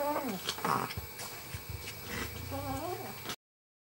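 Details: Pomeranian puppy Bello, bottle-fed because his mother Amy had no milk, suckling: thin, high whimpering squeaks that waver up and down open the moment, soft wet sucking noises follow, and another run of rising-falling whines closes it.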